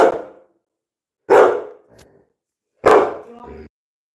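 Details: Labrador Retriever named Coco barking indoors during a live stream while a woman speaking Bengali tells him to get down and calm; two loud broad barks about 1.5 seconds apart, each trailing off, after a fading earlier bark.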